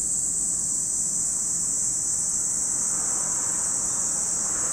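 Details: Insistent high whine of cicadas at Lake Kamo on Sado, Niigata, Japan, a seamless massed chorus with no breaks and only muffled low background noise.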